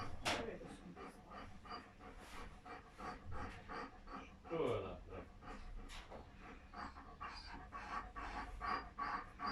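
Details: German Shepherd in labour during delivery of seven puppies, breathing in rapid rhythmic pants, broken by a brief descending whine near the middle, while people talk quietly nearby.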